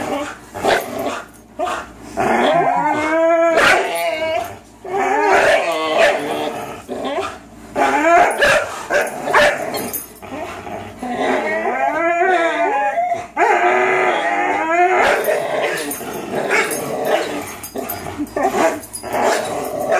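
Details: Two 3-year-old dogs, a Greyhound and a German Shorthaired Pointer, locked in a long tug-of-war match they often play; repeated wavering, yodel-like whines and barks over constant rough growling.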